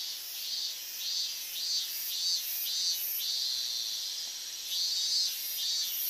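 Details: Higurashi cicadas in August 2011 near the evacuation zone boundary at Minamisoma, Fukushima, calling at unusually loud volume; dense high-pitched shimmering chorus with overlapping pulsed phrases swelling and fading every second or so.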